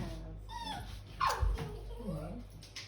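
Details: Poodle scared of high stairs whimpering while being coaxed to come, a short falling whine then soft wavering tones, with a person urging it on in the background.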